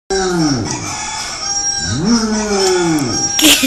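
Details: Hound dog singing along to a ringing alarm clock: long sliding howls, first falling, then rising into a sustained wavering tone, set over steady electronic alarm beeps.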